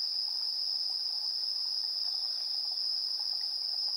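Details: Chirping insects at dusk, 7:04 PM on 3 September 2022, recorded on a TASCAM Portacapture X8: a continuous high-pitched drone holds level throughout, topped by a faint shrill overtone, with light patter of softer chirps lower down.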